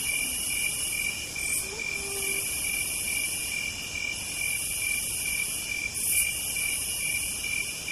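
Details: Cicadas on a southern night keep up a steady, high, ringing drone with several shrill layers that never break.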